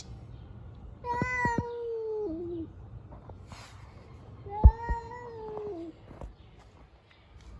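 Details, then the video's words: Stray cats living on the street making fighting sounds: two long, tonal yowls a few seconds apart, each held level before dropping in pitch at the end, with quiet pauses and a sharp thump between. "These Cats fight by making funny sounds."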